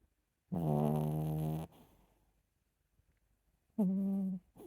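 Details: A sleeping Chihuahua snores in two bursts: a long nasal, buzzy rumble of about a second, a pause, then a shorter, slightly rising snore. The room is otherwise quiet.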